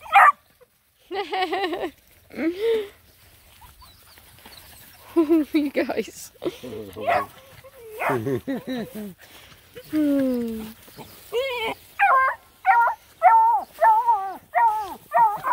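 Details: Nine Black and Tan Coonhound puppies on a hike around a pond give short, high-pitched yips and whining barks. The calls come in bursts and grow quicker and more frequent toward the end, mixed with human voices talking.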